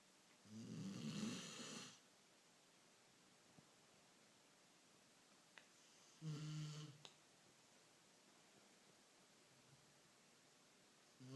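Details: Beagle snoring in its sleep, two rough, low snores several seconds apart, the second shorter and fainter, with a few small clicks in the quiet background.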